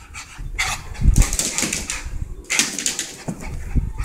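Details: Rat Terrier named Levi Von Pack, a pet dog just after a bath, making rough, breathy bursts of sound in irregular spurts, with noisy scuffling between them.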